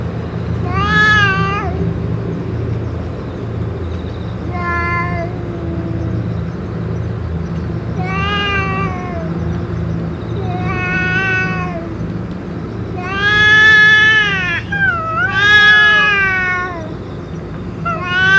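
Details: Stray cats, among them a boss cat fed with food and medicine, give repeated meows, roughly one every two seconds. Most are short, and a long rising-falling pair near the end is loudest. A low background rumble runs throughout.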